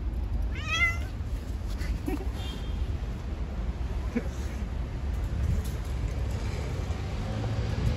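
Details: Street cat gives a single short, bright meow near the start, rising then falling, followed by a couple of faint, brief squeaks, all over a steady low background rumble.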